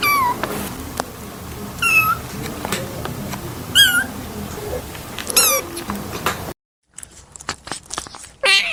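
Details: Playful kitten giving short, high squeaky meows with sharply bending pitch, about four calls spaced a second or two apart, with light rustling between them and a brief silent gap near the end.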